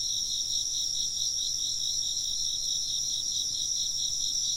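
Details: Many insects chirping at once, a bright, piercing, unbroken trill with quick rhythmic beating in its lower band and higher steady tones above.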